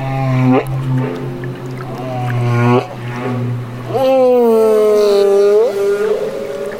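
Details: Baby humpback in Banderas Bay, Mexico: long tonal harmonic cries, a short one, a longer one, then a loud sustained call curving upward before fading, over a continuous low droning hum.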